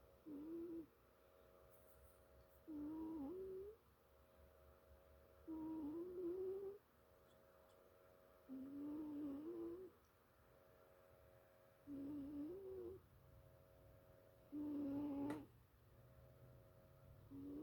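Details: Sleeping two-year-old house cat JJ Joey snoring steadily: six low, droning, slightly rising buzzy breaths, each about a second long, repeating roughly every two and a half seconds, with faint room noise between them.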